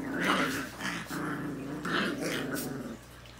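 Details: Rottweiler puppies from Negra's litter, growling indoors in a small room: a steady, low, droning growl with a clear tonal hum, rising and falling in short swells across a few seconds, broken by brief sharper bursts.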